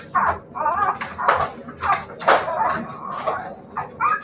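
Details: Siberian Husky puppies whimpering and yelping in a run of short, high, wavering cries, several overlapping bursts rising and falling over a few seconds, with faint clatter in a small room.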